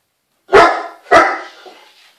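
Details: Daisy, an 8-month-old Great Dane pup, barking excitedly indoors at a scrunchy being used in the bath: two loud, harsh barks about half a second apart, the second trailing off with a faint echo in a small room.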